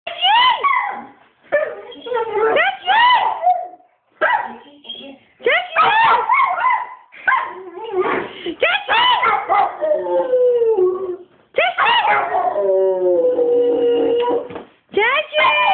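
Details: A Rottweiler sings in drawn-out, wavering howls that slide up and down in pitch, with brief pauses between phrases; the owner says the dog is "saying I love you".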